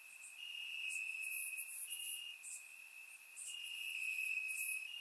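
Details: In grassland in Bulgaria on a warm summer night, crickets keep up a sustained piercing trill that shifts slightly up and down, backed by a bright, hissing layer of further insect calls; surround-microphone recording.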